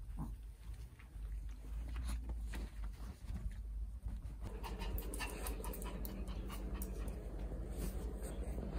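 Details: Maltese dog named Jaerong, a pet at home, running to the kitchen hoping for food; quick rhythmic panting with clicking paw steps and faint household noise, a soft whimper early on.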